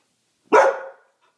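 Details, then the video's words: Single abrupt bark from a poodle scared of the Christmas decorations in the home, harsh onset fading over about half a second, followed by quiet. "My poodle is afraid of everything"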